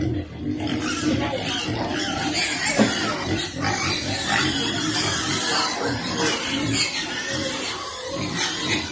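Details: Baby piglet waiting for feeding time, squealing and grunting almost without pause; rough, broadband cries stacked over deeper grunts.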